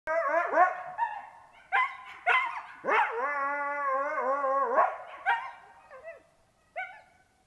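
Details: On 16 March 2022, a coyote gives sharp yips and a wavering, sustained howl that breaks into barks.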